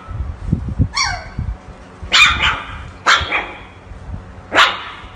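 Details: Siberian Husky puppies, from a compilation of ten howling pups, give short, high yelping howls and yips that each break off quickly; huskies howl to communicate with their owners.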